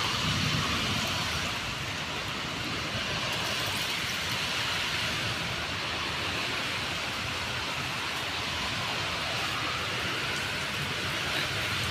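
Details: Steady hissing broadband noise like heavy rain fills the whole stretch, and no animal voice stands out.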